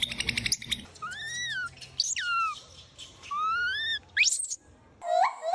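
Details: Different monkeys giving weird sounds: clear whistled calls, some arching up and down, others sweeping sharply downward, repeated about once a second, with a shrill squeal at the end over faint low background hum.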